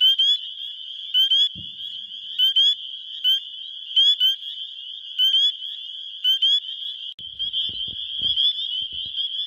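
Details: In Wisconsin in early spring, a dense chorus of male spring peepers calls to attract females: high, clear, upslurred peeps ringing over a steady shrill trill.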